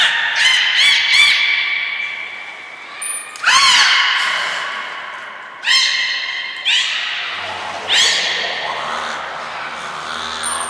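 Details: Belugas Hodoi, Taanya and Mirai at Port of Nagoya Public Aquarium on 14 March 2021, moving between pools and training; loud harmonic squawks and rising whistled sweeps come in bursts, with brief high pings between calls.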